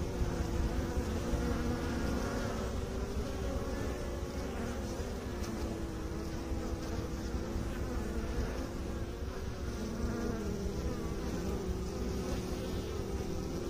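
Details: Beekeepers' honey bees humming in a dense, unbroken drone, low and slightly wavering in pitch, the many-voiced buzz holding steady from start to end without other noises.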